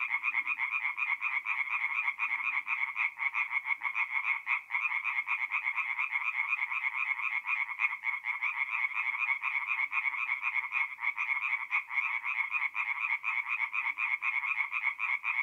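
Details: Night chorus of singing tree frogs at a forest pond in north-east Italy, mid-April; many frogs calling at once, giving an unbroken, grating stream of quick nasal pulses, steady in loudness throughout.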